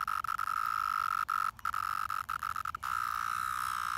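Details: Brood X 17-year periodical cicadas emerging after 17 years underground, crawling all over a park in Pennsylvania; a steady, shrill droning tone holds almost throughout, broken by several brief gaps and short clicks.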